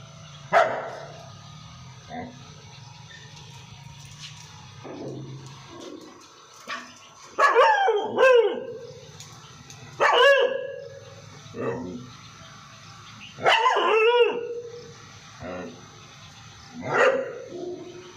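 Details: Pet dog barking loudly: single deep, harsh barks spaced a few seconds apart, several coming as quick double barks, with faint low background rumble between them.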